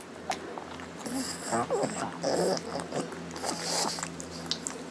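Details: Hungry pug at mealtime making happy sounds while eating: snuffling snorts and a few squeaky grunts over a steady low hum, with clicks of food and bowl.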